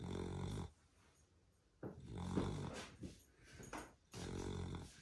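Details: A sleeping pet beagle in Australia snores loudly indoors. Deep, rattling snore bursts open and close the sequence, and softer snorts and rustling fill the pause between them.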